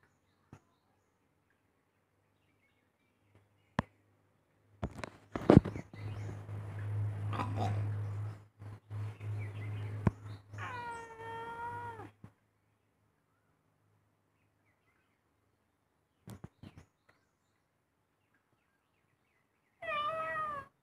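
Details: House cat indoors giving a drawn-out, wavering meow with rich harmonics that rises and falls, followed later by a shorter meow; a low hum, knocks and rustling come earlier, with long quiet gaps between.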